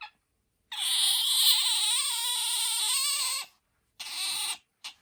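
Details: Indoors, the pet otter Bingo lets out a long piercing squeal, steady and faintly wavering for nearly three seconds, then two shorter shrill squeaks after brief pauses.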